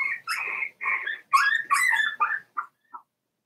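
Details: Cavalier King Charles Spaniel puppies, four weeks old, from Daisy's litter in a puppy pen: high, wavering whines and squealing yelps running together, then breaking into a few short, fading whimpers.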